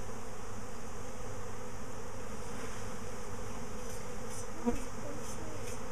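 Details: Bees swarming again a week after an earlier swarm, near a hive box; a dense, steady low hum fills the whole stretch, with one brief sharp knock near the end.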